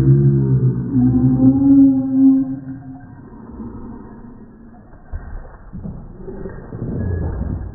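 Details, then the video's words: Shiba Inu mother Hachi disciplining, showing a mother's strength: a drawn-out tonal growl holds for about three seconds, then fades into quieter rustling and low murmurs. "柴犬ハチ 母の底力を発揮 鬼母降臨２"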